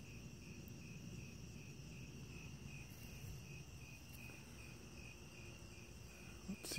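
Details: Cicada in trees, at the site where one is molting out of its shell; an even, high-pitched pulsed call repeats roughly twice or thrice each second against low background noise, ending with a handling thump.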